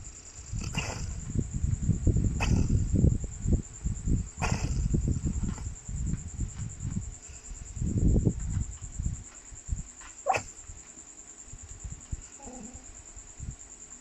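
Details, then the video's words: Sleeping dog snoring at 11 PM: low, rough rumbling bursts in uneven clusters, louder early and again near the middle, with a few sharp clicks and a steady thin high whine throughout. "dog snoring like a horse"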